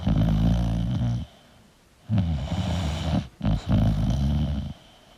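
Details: Sleeping English bulldog snoring: two long, deep, rumbling snores with a strong low harmonic buzz, separated by a quiet pause of nearly a second.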